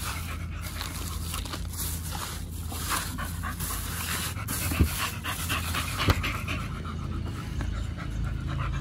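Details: Pit Bull panting during a Chinese New Year 2020 stay at a dog hotel, where two Pit Bulls checked in and ate raw duck feet as treats; quick, breathy, rhythmic huffs over a steady low hum.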